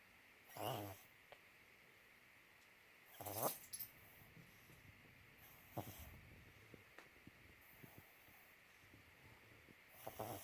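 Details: Uno, a pet dog, letting out odd noises: a handful of brief wheezy, snuffling bursts spaced several seconds apart, with soft clicks and faint low rumbling between them over a quiet background hum.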